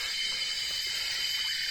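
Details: Cicadas in fields near Bukit Raka, Malaysia, filling the air with a dense, steady high hiss that holds unbroken throughout; no clear gaps or pulses.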